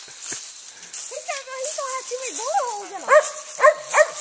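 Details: Daisy, a Gray's Mountain Feist, on a squirrel hunt: wavering whines sliding up and down, then three short, sharp yelping barks about half a second apart, with a man talking nearby.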